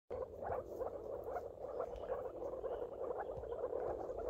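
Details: Moor frog (Rana arvalis) chorus: many overlapping soft, bubbling, low-pitched pulses run together into a continuous gurgling mass, steady throughout with no clear gaps; a dense group of callers rather than a single animal.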